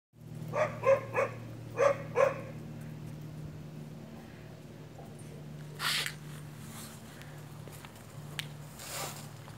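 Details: Siberian Husky puppies, born 6 March, in Reñaca, Viña del Mar, Chile, 9 May 2019; five quick high yips in the first two seconds, then quieter rustling and a steady low hum.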